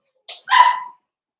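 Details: Blenheim Cavalier King Charles Spaniel puppies from a litter of five born at New Year, playing with their mother Paris in a home puppy pen; one short, bright yip-bark with a breathy onset and clear harmonics, then silence.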